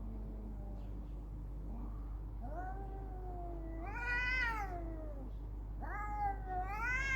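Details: Domestic cats in a fight, trading drawn-out moaning yowls that climb into harsh rising wails, the strained cries growing louder toward the end against steady low hum.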